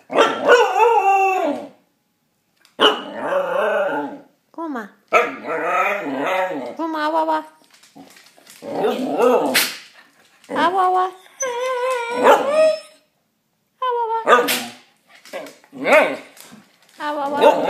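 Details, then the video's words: Male Shikoku dog talking in a long run of expressive vocal bursts: wavering, yodel-like moans and short yips with strong harmonics and brief pauses between them. Some background music is present. "Shikoku talking"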